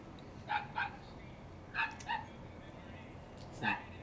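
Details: Dog barking outdoors, heard from inside a room during a live stream; five sharp barks in two quick pairs and then a single bark, over quiet room hiss.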